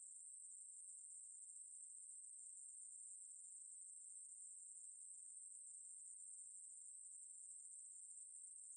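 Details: Ruspolia katydid (매부리), recorded for Korea's National Institute of Biological Resources in 2020: a continuous, very high-pitched electric buzz that holds steady and unbroken from start to finish, with no other sounds around it.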